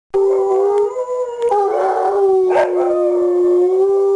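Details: Hound dog howling with a heeler companion: one long, steady, drawn-out howl that wavers slightly in pitch, with rough, throaty bursts breaking in around the middle.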